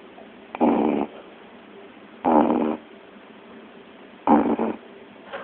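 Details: A puppy asleep gives three raspy, noisy snores about two seconds apart, each a short half-second rasp, over a faint steady background hiss.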